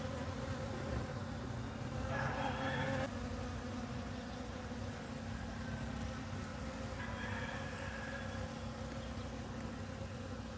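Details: Bees give a steady, low droning buzz over a rushing, noisy background at agricultural fields in Guatemala.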